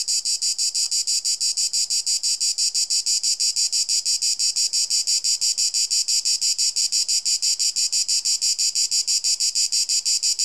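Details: A cicada (Cicada orni) sings a loud, harsh buzz pulsing steadily about three times a second; its sound has a 240 Hz modulation over 4.3 kHz vibration trains, reaching nearly 160 dB.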